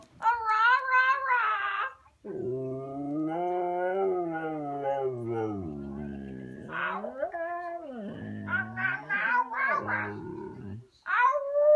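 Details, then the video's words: Female Siberian Husky vocalizing to her owner because she wants a walk: short high yips, then a long, low, bending howl-like moan that slides up and down, followed by choppy rising whines and a final high yelp. "the talking husky"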